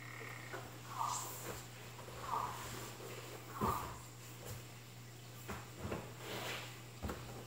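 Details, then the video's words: African clawed frog calling: three short bursts of rapid clicking, evenly spaced about one and a half seconds apart, over a steady low electrical hum with faint knocks. "아프리카발톱개구리 울음소리"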